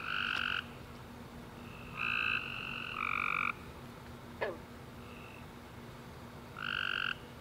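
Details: Night chorus of tree frogs following a warm, rainy summer day, with overlapping nasal honks from several frogs, some close and loud, others fainter, a brief click midway, over a steady electrical-sounding hum.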